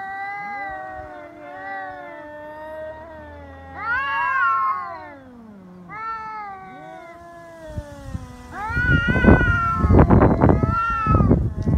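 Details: Feral cats fighting on Cat Day, February 22, in Japan, threats escalating to biting and cat punches: loud overlapping wavering yowls that rise and fall, then a burst of harsh scuffling, hissing and spitting noise amid continued wails.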